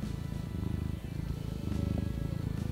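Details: A domestic cat purrs in a low, steady rumble pulsing with each breath, over soft background music; purring is commonly taken as a sign of a happy, content cat, such as when relaxed or being petted.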